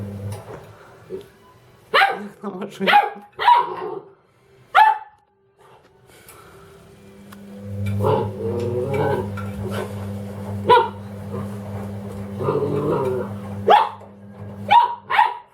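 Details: Dobermann Ramses barking at a washing machine: scattered sharp barks early and late, with a long middle stretch dominated by the machine's loud humming and a person's voice.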